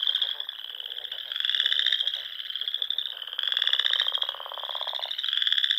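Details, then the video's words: Spring chorus of frogs at dusk by small lakes in the Sandhills of Nebraska: overlapping high continuous trills, with rasping pulsed trains rising and dropping out in waves, one long low buzzy run near the end. "RELAXING SOUNDS OF FROGS"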